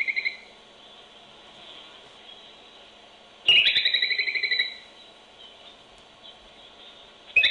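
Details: Groundhog, also called whistle pig, near its burrow in a barn, heard through a baby monitor: a high warbling whistle with rapid pulsing trill lasting about a second, briefer chirps before and after, over low electronic hum.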